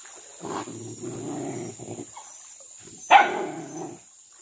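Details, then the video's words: Pack of village dogs hunting monkeys up trees and along a riverbank, chasing pests that raid fruit gardens and fields; rough growling barks in bursts, then a sharp loud bark near the end. "Suara anjing berburu monyet di atas pohon dan pingiran sungai"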